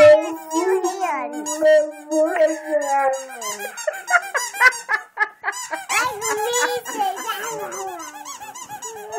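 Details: Boxer dog singing to a squeaky toy with loud, mournful howls that waver and slide, fading into shorter yelping notes, while the toy squeaks rapidly in the background.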